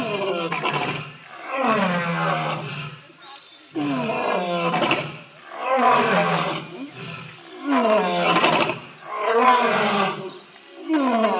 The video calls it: Lions Roaring Compliation